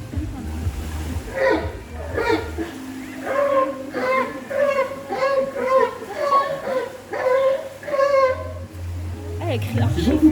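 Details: A trained zoo sea lion during a show gives a series of hoarse, honking barks, its own individual vocalisation, as each sea lion's vocalise differs.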